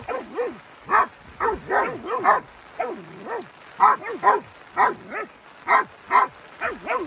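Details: An angry Rottweiler, together with a puppy, attacks a buffalo, giving short, tonal barks that rise and fall in quick irregular bursts.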